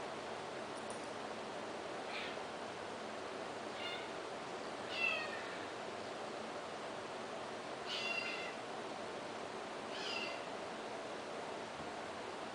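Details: Kittens meowing: five or six short, thin, high-pitched meows with stacked harmonics, spaced about two seconds apart, heard over a steady background hiss.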